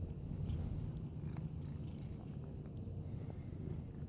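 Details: Pet cat in a backyard purring, a steady low rumbling throb lasting throughout, with faint outdoor background and a thin high whistle near the end.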